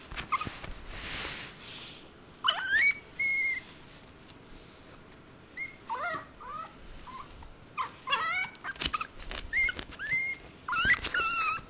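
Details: A crying Chihuahua whimpers in thin, high whines, short rising and falling squeaks in scattered bursts, some drawn out, with quiet pauses between and soft rustling noise.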